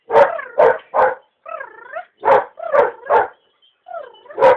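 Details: Belgian Malinois worked on biting with a bite tug during a short training session: a series of loud, harsh barks alternating with higher whining yelps, roughly a dozen sounds in under five seconds.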